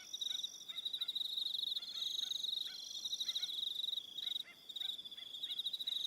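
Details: Evening cricket chorus on Aroha Island, New Zealand, high pulsing trills from several insects, with a fainter lower chirping caller repeating short notes beneath, possibly a frog.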